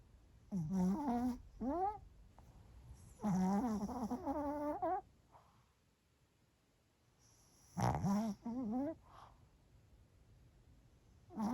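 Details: Sleeping Pomeranian Bochao snores through a lunchtime break: paired squeaky, sliding snore sounds in bursts about every three to four seconds, with breathy gaps between, indoors and otherwise quiet.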